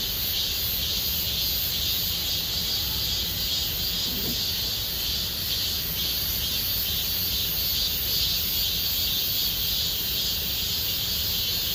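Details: A forest full of cicadas, Gomsol Nuri Forest in Sihwa district, in summer: steady, piercing, layered drone with soft pulsations throughout and a brief faint lower chirp near the middle.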